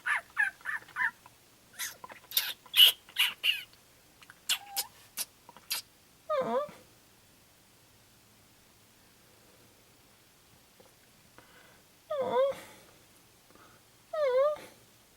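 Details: Three young baby raccoons, apparently without their mother, come to a door and give high, chirping and twittering calls, then short wavering mewing cries in spaced bursts.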